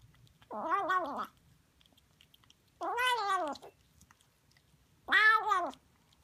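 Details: Noisy female Siamese kitten eating sardines indoors: three separate, strongly harmonic meows, each rising then falling in an arch and lasting under a second, spaced about two seconds apart, with a faint low background hum.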